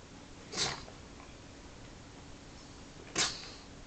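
A pug gives two short, breathy snorts, each a sharp hissing burst a few seconds apart.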